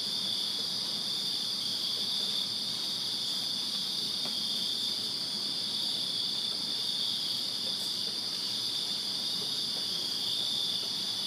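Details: Steady nocturnal insect chorus of crickets in a backyard in Virginia during summer: high, even, buzzing trills blending into one continuous wall of sound over quiet low-level hum.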